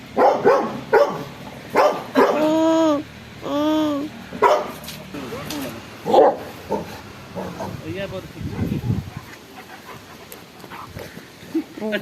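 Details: A Rottweiler, hyper after being bathed, gives sharp, irregular barks mixed with drawn-out, wavering whines, with a person talking nearby.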